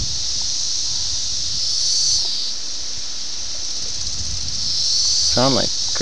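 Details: Seventeen-year cicada chorus of Brood X in Ayersville, Ohio, June 1987, VHS camera: an unbroken shrill band that swells and fades, with wind noise and a brief human voice near the end.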